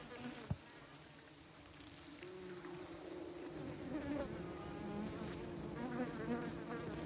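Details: Buzzing bees kept by beekeepers, beginning with a sharp click, then a soft drone that grows fuller and steadier.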